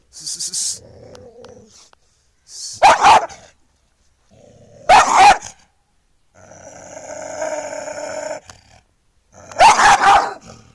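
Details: Angry street dog barking: three loud, harsh single barks spaced two to five seconds apart, separated by lower drawn-out whining growls and a steady tonal whine.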